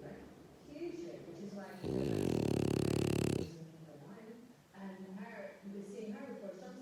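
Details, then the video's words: Pet dog Zeus gives one loud, buzzing, pulsed snore lasting over a second, framed by people talking quietly before and after. "Snoring Dog (ZEUS) Bless Him"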